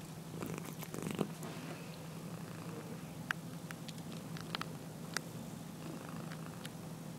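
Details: Sleeping domestic cat snoring indoors: a steady low rumbling drone runs through the whole stretch, with faint scattered clicks and small rustles above it.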